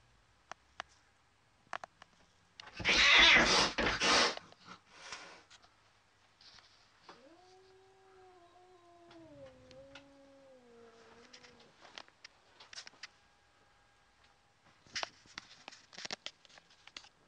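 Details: Loki, a pet cat, fighting another cat through a window: a loud harsh hissing burst, then a long low wavering howl that dips and slides downward, followed by scattered clicks and knocks.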